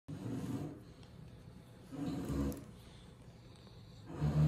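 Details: Lilac English Bulldog, AKC-registered, from Miami, breathing with rough low snoring snorts in three slow bursts, each lasting about half a second to a second, indoors.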